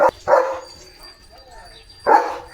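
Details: Leo, a German Shepherd dog in a command training session, alerted by the sound of approaching cattle, gives short loud barks: one at the very start, one a quarter second later, another near two seconds, with a human voice speaking between.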